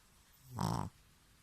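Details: Loud snore from a rescued Pekingese: a single brief rough, fluttering nasal snort lasting about a third of a second, rising and cutting off abruptly.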